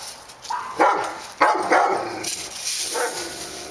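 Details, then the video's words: Dogs barking on Park Drive, a few loud, separate barks, including a close pair, then softer, more distant barks as a broad rushing noise rises. "Barking Dogs"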